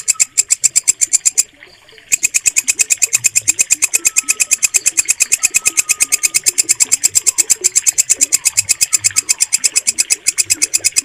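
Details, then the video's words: Walang kecek bush cricket producing a piercing, regularly pulsed stridulation that stops briefly after the first second and then carries on; faint background chirps and whistles are also audible. Bird keepers use it for song training. "MASTERAN WALANG KECEK SUARA JERNIH"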